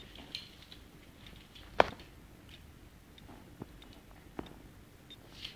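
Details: Quiet indoor room with a few soft clicks and taps, one sharp knock near two seconds, and faint chewing-like sounds; no animal voice.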